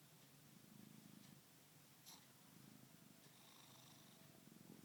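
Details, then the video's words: Domestic cat snoring and purring while asleep indoors: a faint, low rumbling purr in soft rhythmic pulses, with brief quiet clicks and a thin high hiss above. "Special snoring n purring"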